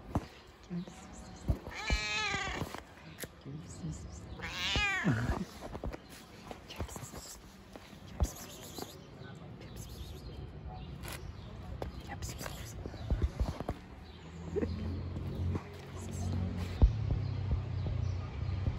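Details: Stray cat living on the street, friendly yet prone to attacking, gives two drawn-out wavering meows near the start, then quieter sounds, with Turkish-speaking people talking and rustling throughout.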